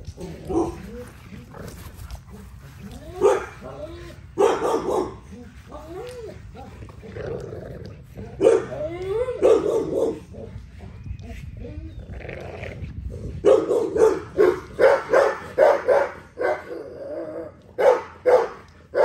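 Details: XL American Bully barking during daily exercise, short loud barks in irregular bursts mixed with a man talking throughout, a quicker run of barks near the end.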